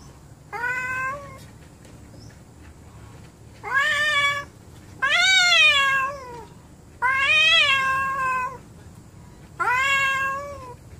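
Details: Quarrelling house cats giving repeated moaning yowls, five calls each around a second long, some arching up then sagging in pitch, spaced two to three seconds apart with quiet background between.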